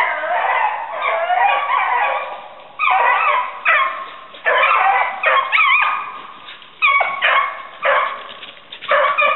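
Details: Hunting dogs on a rabbit hunt in southern New Hampshire, February 5, 2012, giving excited yelping bays and yips in rapid uneven bursts with brief pauses, pitch jumping up and down, some cries rising and falling.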